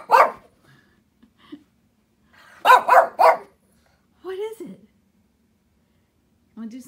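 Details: Shih Tzu dog, bored on a rainy day and playing with zoomies in a basement, barks once, then a fast burst of three barks, with higher whiny vocal sounds afterwards.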